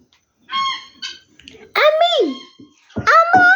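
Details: Rescued puppies, taken in for a friend while infested with screwworm, give high, tonal whimpers: a short steady whine, then longer cries that rise and slide downward, with brief pauses between them, indoors.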